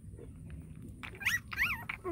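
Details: Hungry puppy being fed whimpers twice in quick succession: high, sharp, rising-then-falling whines, each under half a second, after a quiet stretch of low background rumble.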